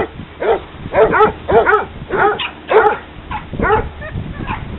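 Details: Dog park hounds at play produce quick, overlapping barks and yelps, some doubled, about two per second, with ringing harmonics and a low rumble of background noise.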